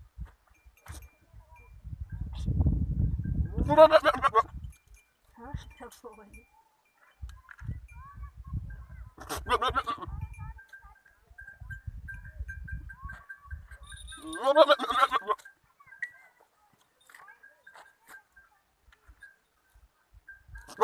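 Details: Goat kids and an adult Kamori goat at a farm give three quavering bleats roughly five to six seconds apart, between patches of low rumble and a faint steady tone.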